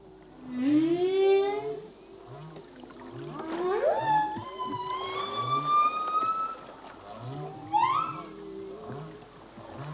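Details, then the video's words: Humpback whale song, sung by a male: a rising moan, then a long drawn-out high whine climbing slowly, over a steady pulsing series of low grunts roughly twice a second. "Whale song - full length humpback whale song"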